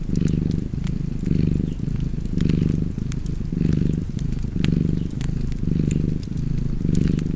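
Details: Cozy purring from a cat near a fireplace, deep and throbbing, rising and falling in regular breath cycles roughly every second, with scattered crackles from the burning fire.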